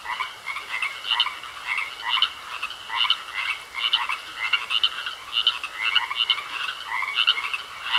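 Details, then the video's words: Frogs croak in a pond, rhythmic groups of harsh pulsed notes recurring roughly every second, loud and overlapping, with a steady high tone running throughout. "Sounds Of Frogs Croaking In A Pond"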